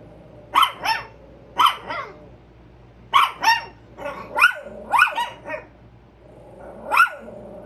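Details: Two Chihuahuas on alert at a squirrel bark in shrill, rapid yaps, usually two close together with short pauses between bursts, over a steady low background hum.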